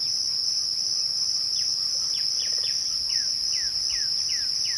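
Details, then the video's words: Crickets at twilight keep up a steady, unbroken high-pitched trill, with a faint second band higher still. About ten short descending whistled notes, repeated every few tenths of a second, sound over it from the middle onward. "twilight crickets"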